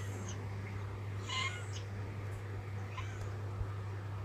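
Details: An old cat heard during playful rolling and meowing: one brief bright meow near the middle, then a fainter second call, all against a constant low droning hum.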